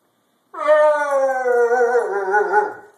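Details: An Alaskan husky after bath time gives one sustained, mournful talking howl lasting over two seconds, holding a steady pitch with a slight waver before trailing off, in a quiet setting.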